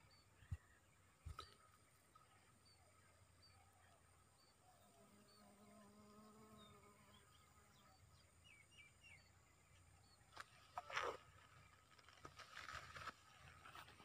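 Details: A Western honey bee (Apis mellifera) foraging on a pigeon pea flower near Raipur makes a low, steady wing buzz that swells for a few seconds amid faint chirps and clicks.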